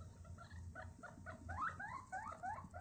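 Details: Guinea pig (Cavia porcellus) gives a quick run of little squeaky wheeks while running around exploring, a contented sound meaning it is happy, unafraid and testing its surroundings.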